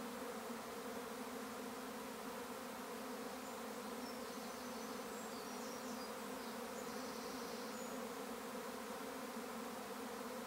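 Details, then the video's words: Swarming bees in May over a regenerative farm in County Kilkenny, Ireland, make an unbroken, even drone of layered low hums; thin high bird trills are heard faintly in the background midway. "A swarm of bees & a most recognisable sound once you’ve experienced it"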